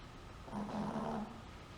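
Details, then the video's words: Sleeping Chihuahua giving one soft, drawn-out snoring breath with a low rasping hum, swelling and fading over about a second. "Dog Snores"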